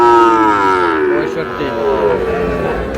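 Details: A loud, deep Sahiwal bull calf moo opens and slowly slides down in pitch for about a second, followed by quieter lowing, at a busy Monday cattle market in Dinajpur, Bangladesh, with voices around.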